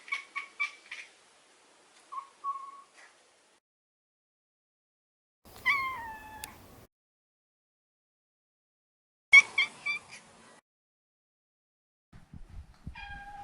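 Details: Male neutered Maine Coon cat born in 2014, heard indoors giving a series of short, separate meows with quiet gaps between them, plus a soft rustling noise at the end.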